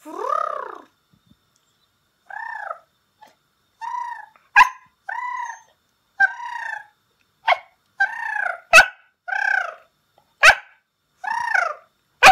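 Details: A Pembroke Welsh Corgi, teased by its owner who keeps calling it, gives repeated arching, whiny, crying yelps, broken by sharp snapping clicks or claps.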